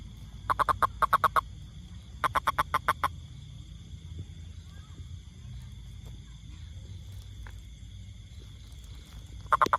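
A toad gives short bursts of rapid, evenly spaced clicking croaks, pausing between each series.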